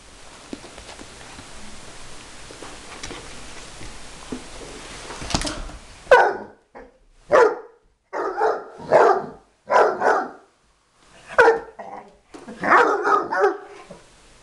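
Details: Bloodhound barking at a vacuum cleaner indoors: after about six seconds of low background hiss, a run of loud, deep, separate barks, some doubled, ending in a rough cluster near the end.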